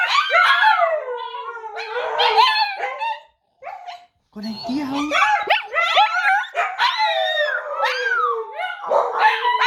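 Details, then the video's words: Husky cross dogs howling indoors, a seven-month-old young dog trying to copy the others; long wavering, sliding howls in several overlapping voices, rising and falling, with a short pause midway and a man's voice briefly. "husky cross/pomskies howling. (bear 7months sat next to me) is trying to copy"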